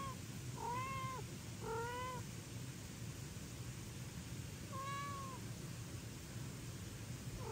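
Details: House cats at feeding time, with foster kittens eating pate and the father cat demanding to be fed; four short arched meows, two quickly paired, then a gap and another, with a fifth just starting, over constant low background hum.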